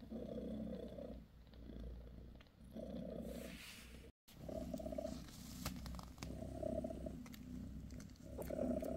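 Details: Mother cat Bassy, a British shorthair, purring as she massages her kittens; rhythmic low rumble rising and falling in breathing cycles, broken by a brief dropout and light rustling sounds.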